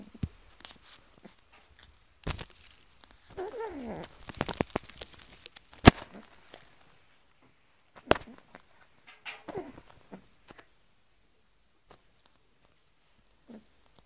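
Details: Angry pet cat that has reacted this way to socks since kittenhood, giving drawn-out wavering yowls and growls in bursts with sharp clattering knocks in between, quiet pauses throughout.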